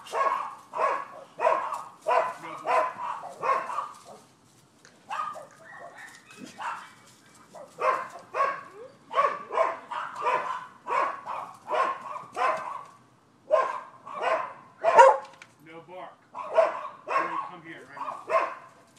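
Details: Neighbors' dogs barking on 7 December 2015: bursts of sharp, mid-pitched barks in quick runs, with a short lull near the middle before the barking resumes steadily to the end.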